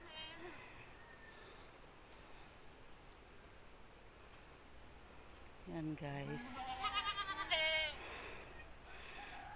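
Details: Goats in a pen shortly after kidding. Quiet at first, then a run of loud, tremulous bleats rising and falling over about two seconds near the end, with a person talking nearby.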